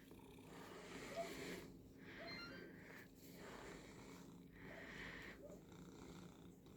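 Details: Domestic cat purring indoors while its back is being brushed; a steady low rumbling purr swells and fades in slow breathing cycles, with soft brushing rustles over the top.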